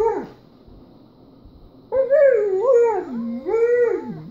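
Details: Kessem, a German Shepherd, howls at a screen showing another German Shepherd in a car; a brief falling note, a quiet gap, then a loud wavering howl dipping and rising twice before trailing off.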